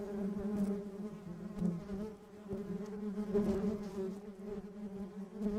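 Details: Pollen-collecting bees in Sri Lankan nature; a softer, even hum with rich overtones rises and dips in volume as insects move about, with occasional faint taps.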